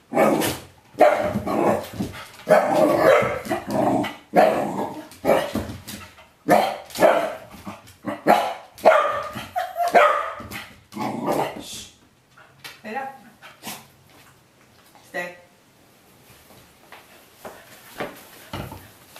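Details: Corgi at home vocalising excitedly at a bitter apple spray bottle without being sprayed; rapid irregular barks and growly yips for about twelve seconds, then the outbursts fade to a few quieter sounds and near silence.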